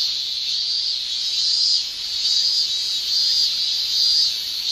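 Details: Male cicadas singing in summer in Japan, a high buzzing shrill over which a brighter pulsed phrase repeats roughly once a second, giving the chorus a throbbing rhythm.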